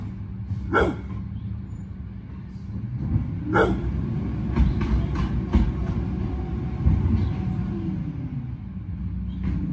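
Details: Bullet, a Pit Bull, guarding the yard against the garbage truck, a long-running rival: short sharp barks in irregular bursts over a loud rumbling truck engine and air brakes, with a person speaking nearby.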